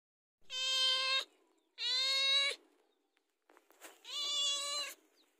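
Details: House cat asking for food ahead of mealtime, giving three drawn-out harmonic meows, each under a second long and steady in pitch, separated by short silences.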